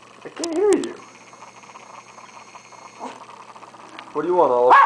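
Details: Oliver, a hungry dog, vocalizes for a hamburger with short, bent, whining moans at the start and a louder drawn-out, pitch-shifting yowl at the end. A quiet steady tone and human speech sit between.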